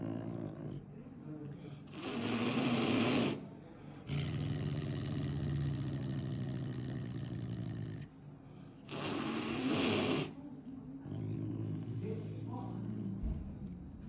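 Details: Roo, a caracal at the vet after an accident, hisses angrily to intimidate clinic staff; long broadband hissing bursts around two and nine seconds, with a low rumbling noise and pauses between.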